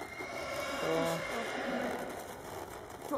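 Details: Paint horse Master Shining Red in training at the Kostelany paint show, 2013. A short, low, harmonic whinny sounds about a second in, over Czech voices and steady background hum.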